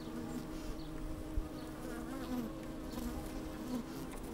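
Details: Honey bees working inside an open hive on a fine sunny day, microphone slid down among them: steady low droning hum with short brighter buzzes rising over it, a little wind in the background.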